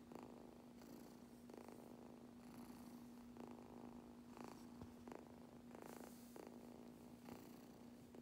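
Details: Young kitten purring intensely during grooming with a brush, a steady low rumble beneath repeated rasping brush strokes arriving about once a second, over a constant quiet hum.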